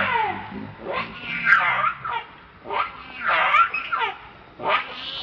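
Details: Baby monkey Leo, very hungry, begging its mother for milk. A steady run of shrill, squealing screams, each rising then falling, repeats about every second or two with almost no pause between outbursts.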